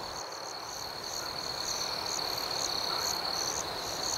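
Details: Gentle nighttime chirping of crickets, a quieter steady high tone with evenly spaced pulsed chirps above, rising slightly in loudness, over a soft hiss of background noise.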